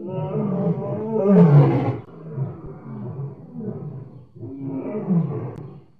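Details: Lion, July 2016, roaring: a deep, rumbling, drawn-out roar swelling to a powerful peak, then a lower growling stretch and a second rising roar.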